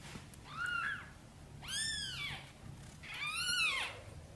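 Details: Mother cat calling gently for help getting her tiny kittens into the nest, giving three arched meows; the last two are louder, brighter and more drawn out, and a faint low hum lies underneath.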